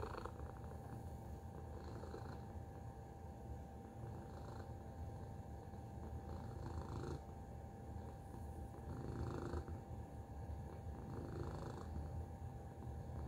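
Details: Domestic cat purring continuously, its mood uncertain between annoyance and contentment; low even rumbling throughout with several soft higher noise bursts spaced a couple of seconds apart.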